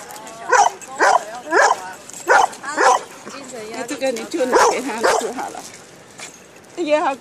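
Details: Old English Sheepdog meeting other dogs in a park, barking in quick bursts of five or six yaps, then a pause and a last bark, with people talking over them.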